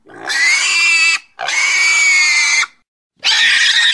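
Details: Pig squealing: three long, shrill, steady squeals of roughly a second each, separated by brief silent gaps, with a bright harmonic band and strong high-pitched energy.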